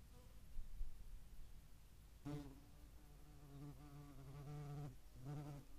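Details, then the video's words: European hornets alongside median wasps at a feeding site in Dohr, Eifel, on 11 July 2022; a low droning wing buzz with a steady harmonic hum starts after two seconds, wavers slightly in pitch and breaks briefly near five seconds. "Europäische Hornissen und Mittlere Wespen am Futterplatz"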